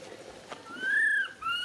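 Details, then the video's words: Baby monkey Rain calls for its mother Rany, seeking help. A clear, whistled cry rises and then gently falls over about half a second, followed by a shorter second whistle. "Po-or baby monkey RAIN calling mom RANY to helps but can't."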